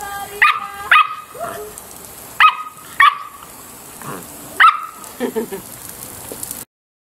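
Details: Samoyed at play letting out bright, clipped barks in pairs and singles, separated by short pauses. Softer grumbling sounds fill the gaps before the sound cuts off.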